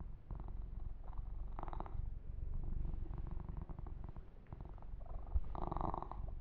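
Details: Continuous low purring from a male kitten receiving a massage and fur grooming, with light intermittent rustles of fingers through fur and a louder stroking burst near the end.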